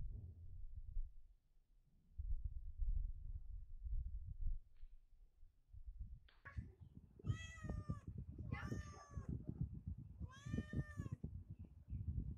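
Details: Domestic cat eating chicken, giving three drawn-out, harmonic meows in quick succession during the second half, each rising then falling slightly, over steady low rumbling and handling noise from feeding.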